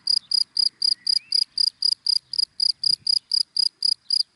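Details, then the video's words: In dry grass by day, a cricket repeats crisp, high-pitched chirps about four per second in a clean, even rhythm over near silence. "Sound of Cricket in Dry Grass in the Daytime"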